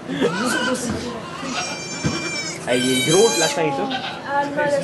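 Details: Goat bleating during the birth of two kids in a sugar shack, Chalet du Ruisseau, Quebec, Canada, recorded on an iPod Touch 4G: two drawn-out, harmonic bleats, one wavering, heard over steady French conversation from people nearby.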